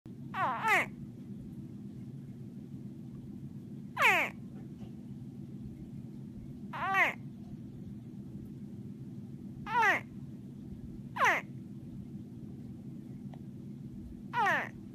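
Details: Baby crocodile squeaking: six short, bright chirps, each sweeping steeply downward, come a few seconds apart over a steady low background hum.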